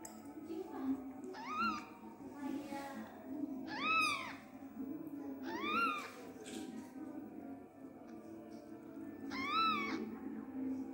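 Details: Newborn Persian kitten abandoned by its mother and not nursed, giving clear high arched mews roughly every two seconds, each rising then falling, over a low steady background hum.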